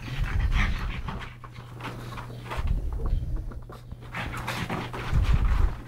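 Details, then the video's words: Two pug brothers, Yogi and Mister, rescued from the SPCA in Malta, wrestling in play; rapid snorty panting and huffing breaths repeat about three times a second, with low thumps of bodies moving. "PUG Wrestling"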